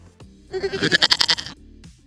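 A markhor gives a single nasal, quavering bleat lasting about a second, its voice shaking in quick rapid pulses, over a faint low hum.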